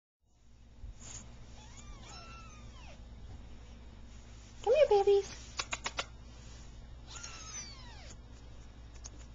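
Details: Three-week-old Persian kittens from a calico mother, two red and white and one cream and white, just starting to play, recorded 15 November 2009; a few high, arching kitten meows in two bursts, with a short burst of other voice between them.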